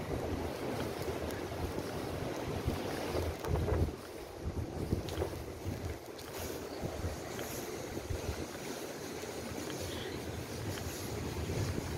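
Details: Continuous wind noise and a wave-like roar fill the recording, with no animal sound audible.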